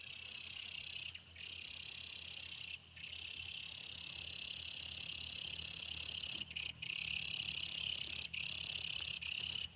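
A brown katydid gives a loud, shrill, continuous buzz, broken by a few brief pauses.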